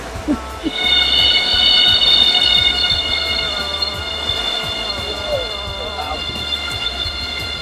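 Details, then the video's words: Giant cicadas in Thailand starting up their very loud, airplane-like noise; a steady, high, piercing whine with layered tones begins after half a second and holds continuously, with low background rumble. "Those are the giant cicadas that they just start up with their noise. It's really loud. It sounds like an airplane."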